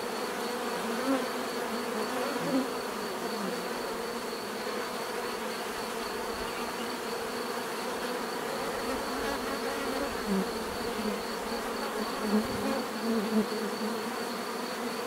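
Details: Natural bee buzzing forms a steady swarm-like drone, with individual hums swelling briefly now and then above the mass and a faint high whine in the background.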